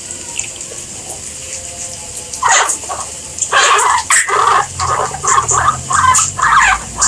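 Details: Guinea pigs heard after a quiet start: a run of short, bright squeaking bursts comes in about two seconds in and repeats roughly twice a second, with a faint watery hiss in the background.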